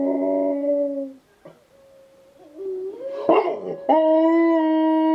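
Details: Husky and German Shepherd cross dog howling in response to wolves; loud harmonic howls with wavering, sliding pitch, a brief whine and a clatter midway, then a sustained steady howl to the end.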